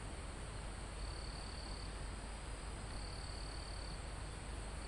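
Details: Live recording of crickets in a forest almost at the top of a mountain: two drawn-out high trills, each about a second, over a continuous shrill insect drone and heavy low rumble of wind through trees.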